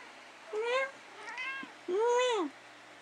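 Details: Male pet cat meowing in a back-and-forth exchange with its owner at night: three harmonic meows, the last longest and arched, each under a second, in a quiet indoor room.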